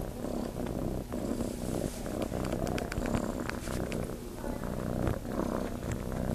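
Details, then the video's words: Kitten named Chase at Starlight Farm, seeking to nurse, purring in a continuous low throbbing rumble, broken by brief sharp clicks and rustling noises scattered over the top. "Kitten looking to nurse"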